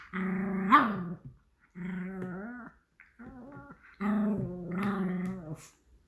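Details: Pomeranian puppy asking for food, giving drawn-out, moaning, talk-like whines in four phrases with wavering, rising and falling pitch and short pauses between them, indoors.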